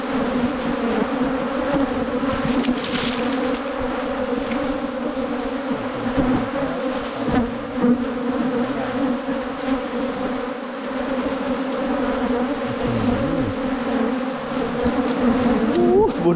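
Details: Wild cavity-nesting honey bees found on a wild honey hunt in the Thai countryside: a constant, thick buzzing drone lasting throughout, with slight swells and faint rustling noises.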